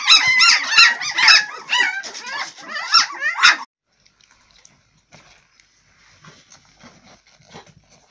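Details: Swedish Elkhound (Jämthund) puppies from a litter of twelve squealing in a loud, crowded burst of short high yelps for three and a half seconds, then near silence with faint distant sounds.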